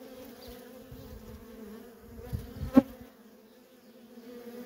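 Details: Feral colony of worker honey bees, a quieter steady hum with two clear tonal bands, a bee flying close past the recorder near the third second giving a short loud whoosh.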